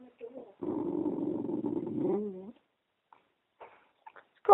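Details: Dog named Penny gives a steady low growl lasting about two seconds at a talking Eeyore puppet, ending in a brief rising whine, followed by quiet and a little speech.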